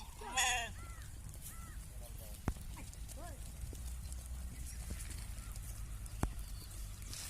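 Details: Sheep on a sheep farm raised for business, giving one short, loud, harmonic bleat near the start, then quiet rural background with scattered bird chirps and a few sharp clicks.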